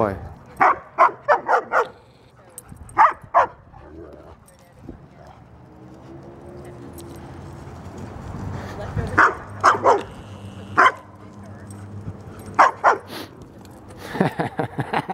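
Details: A 75-pound female German Shepherd plays with a big male Doberman and Great Dane at a dog park; bursts of rapid repeated barking come in clusters separated by quieter stretches, with people talking between.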